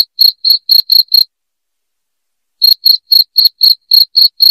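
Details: Cricket giving loud, piercing chirps in quick regular pulses, a run of six, then a pause of over a second before the chirping resumes, otherwise quiet.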